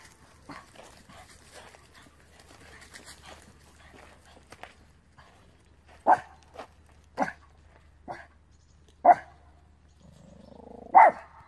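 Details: Small male Terrier-Pug mix dog from Romania, worked up after seeing a squirrel; after soft rustling, single hard barks ring out roughly every one to two seconds, the last preceded by a low whine.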